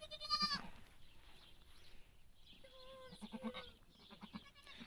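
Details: Goat giving birth, with other goats gathered around her: a sharp, nasal bleat opening the clip, then a longer steady, tonal bleat about three seconds in, over low background murmur.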